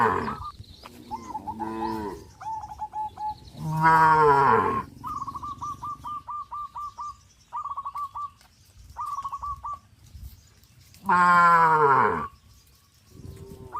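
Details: Cows herded along a countryside road by a farmer: two loud, drawn-out moos, the first near four seconds and the second near eleven, between runs of short, quick, repeated chirping notes and stretches of quiet.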